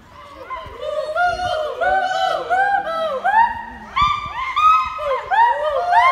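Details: A gibbon at Assam State Zoo in Guwahati, reacting to people, gives overlapping, pure whooping notes that swoop up and down, with crowd chatter behind.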